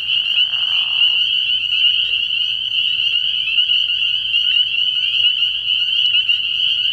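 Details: Spring peepers calling in a dense chorus at a frog pond at night in early spring: a steady shrill high band of overlapping peeps, with a brief lower raspy burst near the start.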